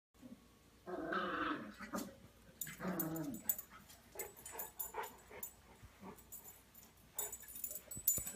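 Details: Gentle English Mastiff named Gunner playing with a tiny Yellow Lab puppy; two bursts of harmonic, rumbling growling near the start, followed by scuffling, clicks and light knocking sounds of play.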